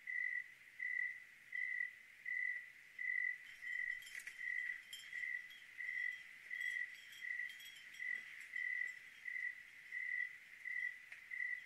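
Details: A cricket chirps steadily on a clear night in Oregon, short bright trills repeating a little more than once a second.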